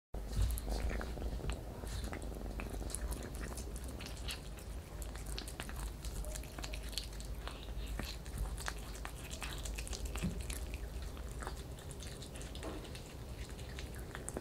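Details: Kitten eating raw chicken indoors, a dense run of wet crunching and biting clicks, irregular and close, with soft low rumbling beneath throughout.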